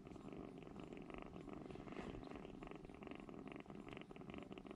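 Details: Rescued baby kittens, three of them, pressed together for warmth in a corner of a room; close, continuous purring with evenly pulsing rhythmic throbs across the whole stretch.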